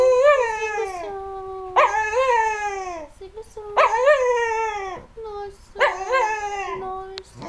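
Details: Singing American Cocker Spaniel from 2008 giving four wavering howls in quick succession, each rising then dipping in pitch, separated by short lower moaning tones.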